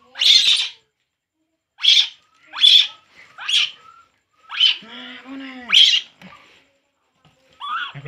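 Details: Baby monkey Poo cries while drinking milk: sharp, high, squealing bursts that come in short separate cries, with a calm human voice talking softly between them.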